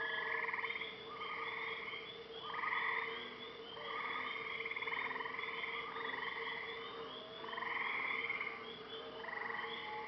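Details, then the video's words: Frogs calling during the night at a lake in Maine, a rhythmic chorus of short buzzy trilled bursts repeated many times a minute in uneven waves, with a faint steady hum beneath. "Listen to the sounds of the frogs and loons during the night at a lake in Maine."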